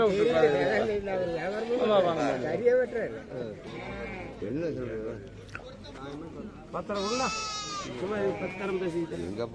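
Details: At the Morpalayam Friday market in Namakkal, goats give repeated vibrato bleats, several at once. A bright, high, strained bleat comes near the end, while people talk all around.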